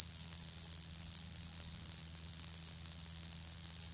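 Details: Continuous, even buzz from a Shibuiro kayakiri katydid, recorded 2 April 2023: a steady, droning "bii" mixing high and low tones, with no pauses.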